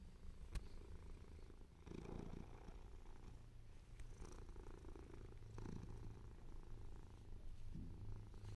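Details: Low rhythmic purring by Mimi, a male cat with white and ginger coat; a continuous throaty drone rising and falling with each breath, occasional soft clicks and rustles.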